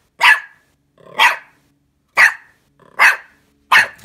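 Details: A puppy meeting a pet fox named Anja gives five loud, high, sharp barks spaced about a second apart, each with a short rising lead-in.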